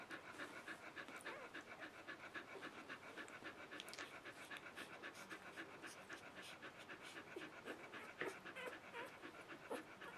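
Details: Puppies three days old from Mattie and Bodie: fast continuous panting, close to four breaths per second, slightly uneven, with a few faint squeaks and rustles over ten seconds indoors.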